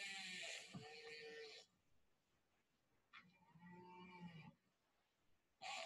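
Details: Recorded killer whale (orca) calls played back through room speakers: complex chirps, whistles and creak-like sounds in separate bursts; such calls vary between individuals and subspecies.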